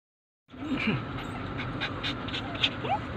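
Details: Poodle dogs left waiting while their owner is inside a mall, crying for her: short, soft whimpers with quick upward-sliding whines, broken and irregular, over a steady engine-like hum and faint speech.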